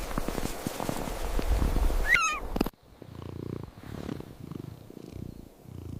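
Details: Hungry stray kittens being fed outdoors on a snowy mountain, purring while eating: low rhythmic pulsing purr bursts in the second half, after a noisier opening with a brief high warbling whistle.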